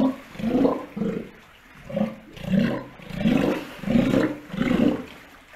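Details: Steller sea lions at an aquarium in Ise, near a newborn pup born 25 June 2020 during breeding season: rhythmic hoarse roaring barks, about seven in under six seconds, evenly spaced with brief gaps between.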